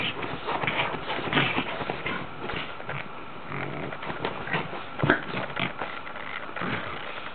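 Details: Ax, a female Boston Terrier playing in her bed indoors, gives short piglike snorts and grunts over steady rustling of bedding, with a few louder bursts.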